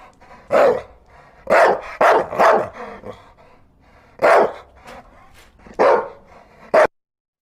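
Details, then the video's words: Dog barking repeatedly with loud, coarse barks in irregular clusters, three close together, then single barks and a final short bark before silence. "Dog Barking Sounds"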